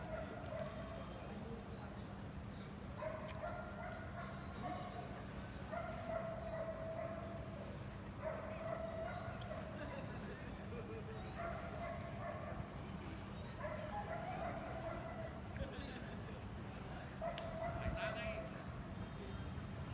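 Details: Barking of a Belgian Malinois in training at the seventh working dog contest, Hanoi, Vietnam: repeated tonal barks in irregular clusters, a few stretched into longer yelps, with constant low background hum throughout.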